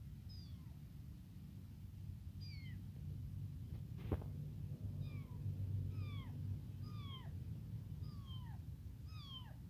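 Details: A tiny, newly abandoned kitten cries nonstop with thin, high, falling mews, calling for its mother and hungry for milk.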